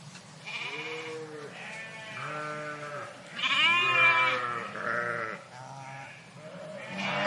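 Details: Park flock of sheep heard at some distance, many overlapping bleats of varied pitch, from low short calls to a louder high wavering bleat midway, continuous chorus throughout.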